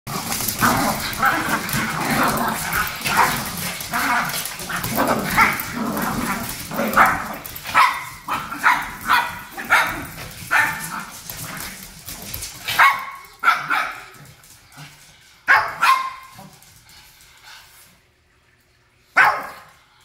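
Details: Japanese Chin family, a mother, father and daughter dog, barking while mama and papa fight; dense run of yappy barks and growly snarls, then sparser sharp barks separated by quiet gaps, with some voices in the background.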